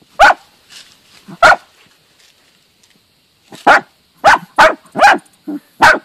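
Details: A team of Dachshunds hunting and killing a mole gives sharp, excited barks in irregular bursts, with a few softer yips between.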